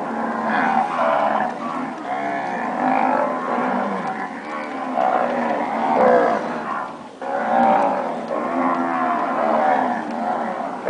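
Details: Standard registered Nelore cows that have calved, a chorus of loud overlapping moos from several animals, rich harmonic lows swelling and fading, with a brief pause near the seventh second before mooing resumes.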